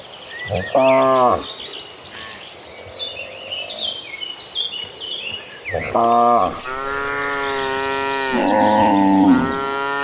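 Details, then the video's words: Herd of dozens of cattle walking toward a lush green pasture; two deep, drawn-out moos about five seconds apart, the second a longer, wavering bellow, with birds chirping steadily in the background. "Dozens of Gentle Cattle Walking Toward a Lush Green Pasture, with the Sound of Mooing Cows."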